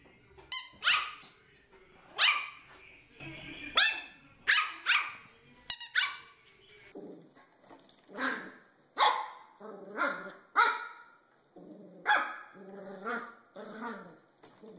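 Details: Puppies barking: sharp high yaps come thick and fast at first, then give way to softer, lower, more drawn-out barks spaced about a second apart over fifteen seconds.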